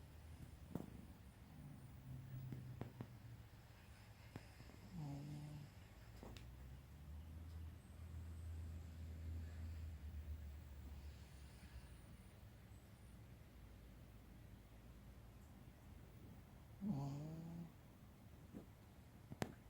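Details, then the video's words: Sleeping Chihuahua named Valentino snores peacefully: quiet low-pitched breathing rumbles, with occasional short nasal snorts near the middle and end, in a hushed indoor setting. "Valentino snoring peacefully."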